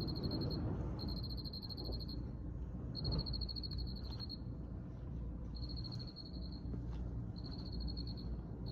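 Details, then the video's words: Cricket giving high pulsed chirps in trains about one second long with short pauses, over constant low rumble. "Soothing sounds of Cricket"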